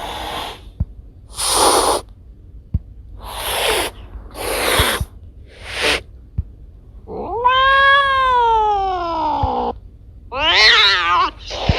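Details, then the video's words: Pet cats Kiko and Koko, house recordings: five sharp breathy hisses in a row with faint clicks between, then a long arching meow that slowly falls, and a final tense wavering cry. "Cat sounds to scare mice away"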